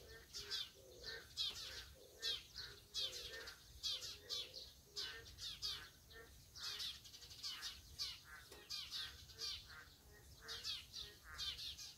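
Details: A sustained chorus of Boreal digging frogs: clipped nasal calls pulse steadily, several individuals overlapping so that bursts come every half second or so across the whole stretch.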